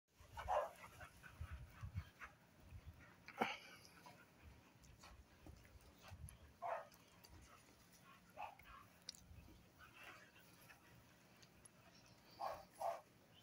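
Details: American Bully girls: short, high whining yelps with bright overtones, five or six of them spaced irregularly over about thirteen seconds, each a brief tonal burst against a quiet room background with faint low rumbling.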